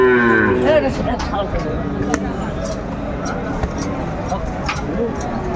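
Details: Cattle at a Faridpur livestock market on 24 December 2024, where a seven-to-eight-month-old Sahiwal bull calf is being sold; a short harmonic moo opens the clip, then fades into crowd chatter and market clatter.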